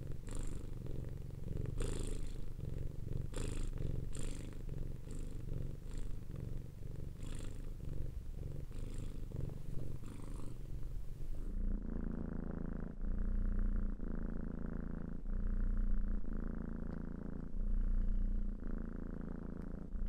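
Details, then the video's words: Cats purring, a low rumbling purr with a steady pulse of breaths in and out, about three pulses a second, with a faint hiss in the first half. "Sound effect of cats purring"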